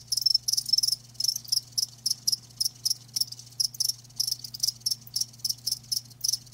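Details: Live crickets recorded for a natural-sound ASMR session: shrill, high chirps in short bursts, repeated about every half second with a steady rhythm, over a faint low constant hum.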